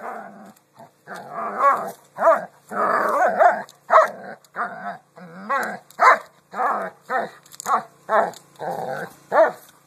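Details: Dog barking at rocks, a steady run of short, mid-pitched barks roughly every half second to second, some rougher and growl-tinged, with no other sounds in the background.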